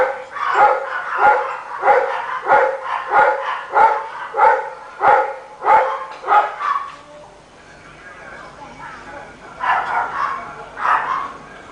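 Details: Rottweiler heard all day by a neighbor, barking in a regular run of about ten hoarse barks, then a pause with faint voices before a couple more barks.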